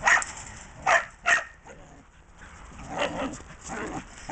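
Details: A dog barking through a fence, giving three sharp barks in the first second and a half, then quieter, hoarser barks near the end, with faint background noise between them.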